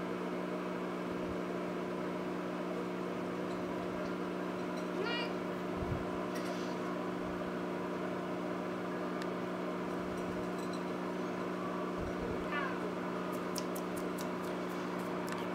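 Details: Pratt, a big, shy Domestic Shorthair cat found as a stray in December 2016 and awaiting adoption at a shelter, gives two short, soft rising meows several seconds apart over a steady electrical hum, with faint clicks and a person talking.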